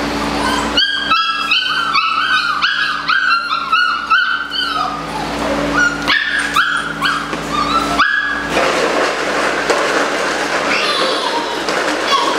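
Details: Eight-week-old Belgian Malinois puppies, several together, yipping in a rapid chorus of high, harmonic barks through the first five seconds, then noisier overlapping yelps and whines, over a steady low electrical hum.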